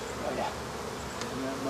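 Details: Short burst of steady humming from African honey bees in a hive being removed, with a faint voice underneath.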